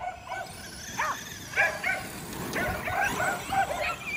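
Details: Kerry Blue Terriers playing with a radio-controlled car: a run of short, high, yelping barks, three to four each second in an uneven rhythm, each with a bright ringing tone.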